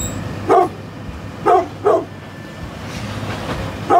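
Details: A brindle pit bull, 9.5 years old, barking in short, deep single woofs, four barks spaced about a second apart, over a low background rumble.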